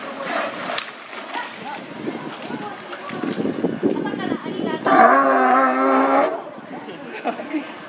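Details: California sea lion at Minamichita Beachland, Mihama, Aichi, Japan, 12 October 2024, calling after catching food in the water and climbing out; one loud, rich, harmonic bellow lasting over a second, amid crowd voices and splashing.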